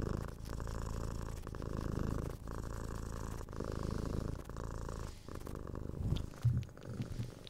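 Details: Six-month-old pet kitten being cuddled and given head scratches, purring in a continuous low rumble that swells and fades with each breath, with light rustling of handling and a small click toward the close.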